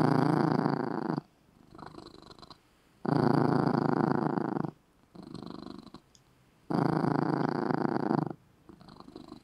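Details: Domestic cat dozing in a little red bed purrs loudly, the strong rumbling out-breath phases recurring about every three seconds and alternating with gentler, quieter purring between them.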